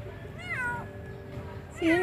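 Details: Stray kitten, wary and newly found, meowing twice: a high, arching, slightly wavering meow near the start, then a shorter bright meow at the end, with a faint hum and quiet background between.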